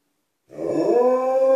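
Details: Alaskan Malamute inside a house calling to people outside: a brief rough, growly start rising quickly into a clear, steady howl tone that is still building at the end of the clip.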